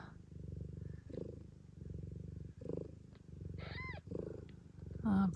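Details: Blue bicolour ragdoll mother Gambit purrs during the birth of her kittens in Australia, a continuous throbbing low purr that swells and fades in waves, broken by short high kitten squeaks and a woman's soft voice.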